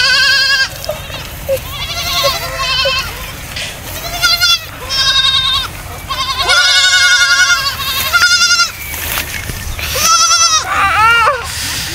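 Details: Baby goats playing, running and jumping, giving a quick series of loud, wavering, high bleats, several overlapping and repeated about every second, over a background of music and a sung Hindi children's song.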